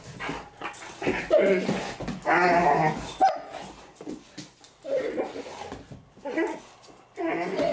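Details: Playing indoors, the Great Danes Milly and Izzy let out harsh growling and grumbling bursts, each lasting about a second, in uneven clusters with quieter gaps between them.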